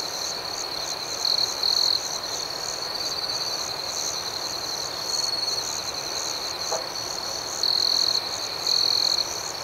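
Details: Crickets chirp gently at night in a rhythmic nighttime chorus, a continuous high shrill band with fast pulsing; several louder chirp bursts stand out, and one short click sounds near seven seconds.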